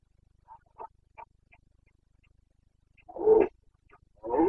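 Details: Carpathian stag during the Bucovina breeding season, 2022: faint clicks and knocks, then two loud rough bursts of roaring near the end, the first sharp and brief, the second starting as the recording cuts off.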